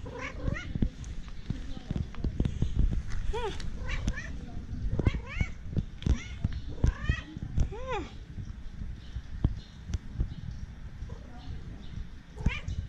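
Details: Pet cats meowing in a humorous compilation: a run of brief bent meows, some clearer and longer around the middle, mixed with sharp clicks, human voices and constant low-frequency noise.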